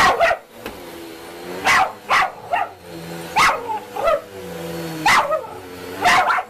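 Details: Dog barking at a vacuum cleaner indoors: loud, sharp single barks, some doubled, repeated roughly every half to one second, over a steady low motor hum.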